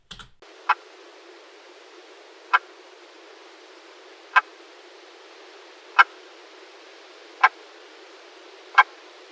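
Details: Fijk's river frog gives sharp, dry clicks, six of them roughly every one and a half to two seconds, over a steady hiss; its call resembles a crake and is easily mistaken for a bird.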